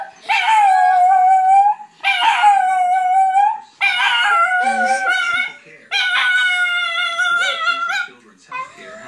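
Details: A pet dog howls along with a young niece and nephew who start howling as soon as they see him: long, drawn-out, steady tones in four sustained bouts of roughly two seconds with short gaps, mixed with the children's own howling voices.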